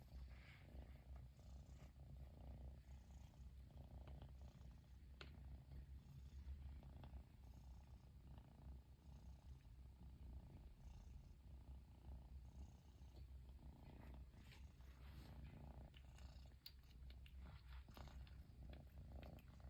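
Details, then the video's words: Persian kitten in Japan keeps purring after its owner returns home at last; a low, even rumble that continues for the whole stretch, with occasional soft clicks. "飼い主がやっと帰ってきてぐる音が止まらない子猫🐱purling kitty"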